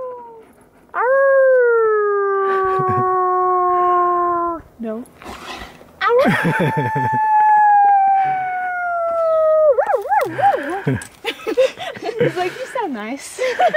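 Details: Wolf met up close, giving two drawn-out howls, the first falling steadily and the second pitched higher and wavering at its end, followed by quick yelping wavers mixed with people talking and background music.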